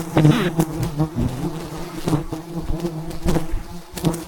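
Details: Wild bees buzzing around a giant beehive as a honey hunter harvests it at height in the mountains. A strong low drone carries on beneath a string of sharp percussive knocks roughly every half second.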